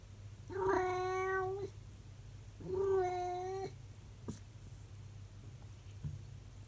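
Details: Calico cat, a pet, in a short howling session on 16 March 2023; two long drawn-out steady wailing howls of about a second each, rich in overtones, with a low hum and a brief click indoors.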